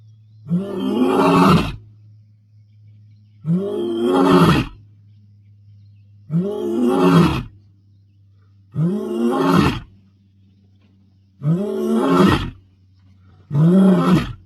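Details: Bilashaka male lion roaring to announce dominance in the Masai Mara, 22 May 2025: six deep, groaning roars, each about a second long, spaced every two to three seconds over a steady low engine-like hum.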